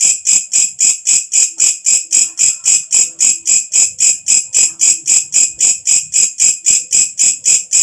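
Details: At nightfall a walang kecek katydid, whose loud voice bird keepers use for tutoring, repeats a hissing, high chirp almost four times a second for about thirty pulses, steady in rhythm, with faint low tones scattered underneath.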